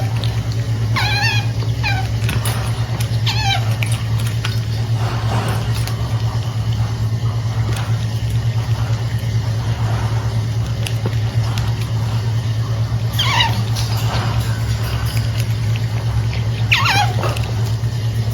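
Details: Punch the otter squeaking while snacking: small clusters of high, wavering chirps near the start and two more bursts late on, separated by long quiet gaps filled with a constant low hum and faint chewing sounds.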